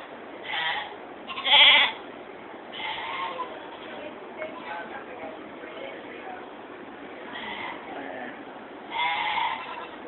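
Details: Goats in the stables at the 2015 Georgetown, Illinois fair, giving short nasal bleats at intervals, two louder ones near the start and end, with a person talking and barn chatter in the background.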